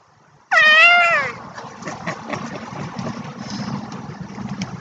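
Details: Domestic cats playing indoors, grabbing at a flashlight and chasing around in circles, recorded March 23, 2016; one loud, sharp meow rises then falls, followed by scuffling, bumping and faint background noise.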